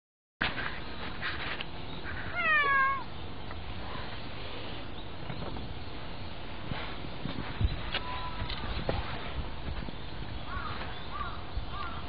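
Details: Domestic cat being petted gives a single clear, drawn-out meow that falls in pitch near the start, followed by steady background hiss and faint handling noises.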